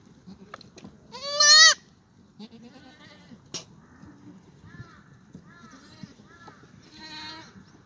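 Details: Sunny spring morning, 2 April 2019, in a goat exercise yard on a farm in Gimhae, South Korea: a black goat gives one strong quavering bleat, then several shorter, quieter bleats follow, ending in a drawn-out wavering call.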